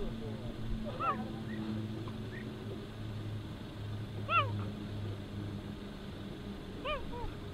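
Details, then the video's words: A cheetah (Acinonyx jubatus) gives short, high, bird-like chirps every few seconds over a low droning hum. These calls mimic birds so as not to draw lions, other predators and scavengers to its kills and young. "Cheetah calls (chirps)"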